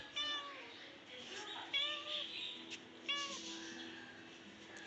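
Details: Household pet cat meowing insistently: three clear, tonal meows, each bending up then down, roughly one per second, as a woman coaxes it to come down and join her, indoors.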